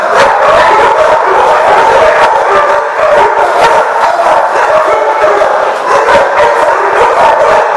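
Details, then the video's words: Many dogs barking at once at The Barking Lot, recorded 30 January 2015; overlapping yaps and barks merge into an unbroken, mid-pitched clamour lasting the whole stretch. "The Barking Lot"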